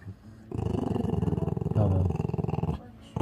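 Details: Indoors, a 10-year-old Maltese growls, low and throaty with steady rapid pulses for over two seconds, as people speak about it getting angry and test moving slowly beside it.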